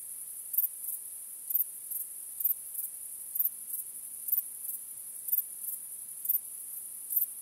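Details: Crickets chirping on a starry night: a steady, very high shrill hum with brighter pulses about once a second, sometimes in close pairs, over a quiet background.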